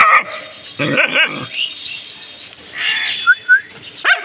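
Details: Household dogs barking at something they have found: a loud bark, then a pair of strained, yelping barks, a pause, a longer whining bark, and two thin, high squeaks before a final bark.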